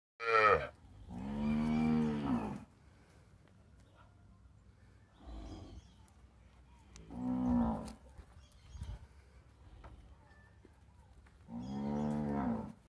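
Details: A mini cow gives several long, low moos, each a drawn-out nasal bellow, with quiet pauses between.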